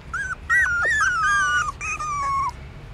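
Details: Newborn puppies trying to suckle their mother's milk in a pagoda stupa in Siem Reap, Cambodia; loud drawn-out whining whimpers, wavering then sliding down, two long cries back to back.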